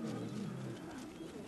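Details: At sunset in December, a lion, possibly a fifth lioness, gives a low, resonant contact-call moan nearby, steady then fading in under a second, keeping the pride in touch; then the pride rises, calling to each other, with rustling movement.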